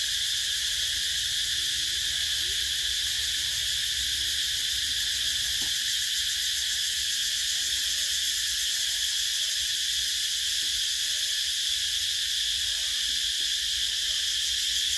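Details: Summer cicadas keep up a continuous high, hissing drone that stays level from start to finish, with a soft low hum underneath and a single brief click midway.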